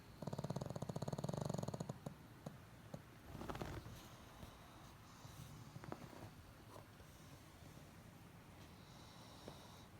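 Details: Sleeping pet pug, eyes half open, gives a rapid buzzing snore of dense low pulses for two seconds, followed by quieter snuffles, scattered clicks and a soft rustle against faint room noise.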